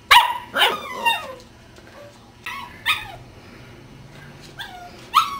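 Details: Cardigan Welsh Corgi puppies at ten weeks old letting out a few shrill, downward-sliding barks, spaced irregularly with quiet gaps, ending in one last sharp yip.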